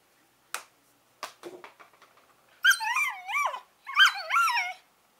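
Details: Pair of Collie puppies, 11 weeks old, making brief sharp yips followed by two long, loud, wavering whines that rise and fall in pitch, with no other sounds.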